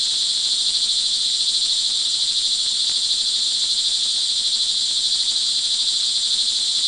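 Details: A chorus of crickets in the rain at Montalban, Rizal, Philippines, early evening of June 24, 2011: continuous shrill high trilling without pause, layered in two bright bands, with a faint low rumble underneath.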